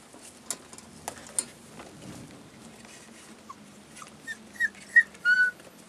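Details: Collie puppies 35 days old, recorded on 16 February 2012: quiet stretch with light clicks, then from about the fourth second a series of short high whimpers, rising into clearer squeaky whines near the end.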